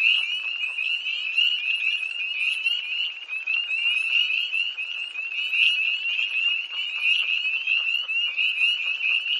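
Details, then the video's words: Night pond chorus of tree frogs near Hillsborough, North Carolina, 1 March 2011, cold air: countless overlapping short, high, upward-sliding peeps forming a constant ringing din, with a few sharper calls standing out. "Early Tree Frogs"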